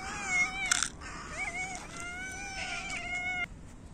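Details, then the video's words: Hungry cats in winter meow loudly while competing for food: a run of clear, tonal meows, some rising then falling, one stretched and level, with a brief scuffling burst near the start. "Cats meow loudly and compete for food"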